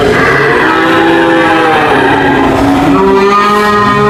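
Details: Lowing cattle give steady, drawn-out moos with strong harmonics. A second, higher moo enters in the last second, over continuous low rumbling.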